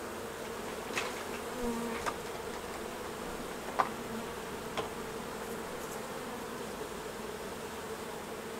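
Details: Colony of honey bees as beekeepers remove honey from the hives: an even, sustained buzzing drone with a faint wavering tone, and scattered light taps and clicks from work on the frames.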